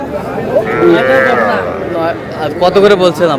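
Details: Young cattle, bull and heifer calves (Sahiwal tagged) bought by a farmer in Madaripur, Bangladesh: a drawn-out, wavering moo rises and falls over the first half, then shorter lowing sounds, mixed with men talking and counting the calves in Bengali.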